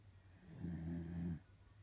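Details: A single drawn-out snore from a sleeping female corgi: a low, buzzing rumble with a steady hum, lasting under a second against a quiet background.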